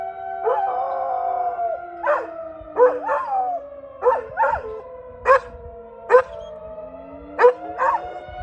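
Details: Pet dog Brody responds to a tornado siren with a long howl followed by repeated short barks and yelps, roughly one every second, over the siren's continuous falling and rising drone.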